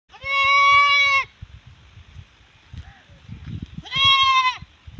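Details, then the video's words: Alpine goat bleating: two loud, wavering, nasal bleats about a second long each, roughly three seconds apart, with faint thumps and handling noises in between. "Alpine goat breed"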